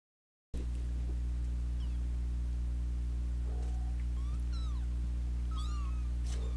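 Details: Two young kittens fighting at home, with an older sister cat joining in, give thin rising and falling meows scattered through the clip, some high and squeaky, over a steady low electrical hum.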